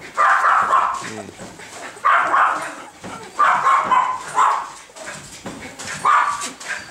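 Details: Young Bernese Mountain Dog puppy siblings barking: harsh, yappy bursts repeated roughly every second, with faint human voices in the background.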